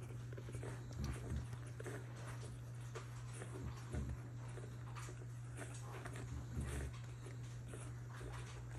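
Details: Baby Bulldog puppies make soft, low grunts and snuffling noises while nursing, over a steady low hum.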